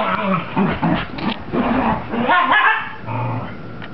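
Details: After her bath, the Cocker Spaniel Mocha, a female, tears around in zoomies, voicing a quick series of throaty growl-barks and yips, loud and closely spaced, followed by a brief low rumbling tail.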